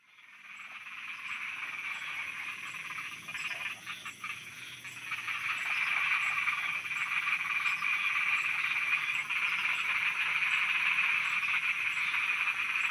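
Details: Thai frogs croak at night in a thick, continuous chorus that starts quietly and grows louder, becoming a steady wall of rapid, rasping calls. A faint, regular high-pitched ticking runs through it.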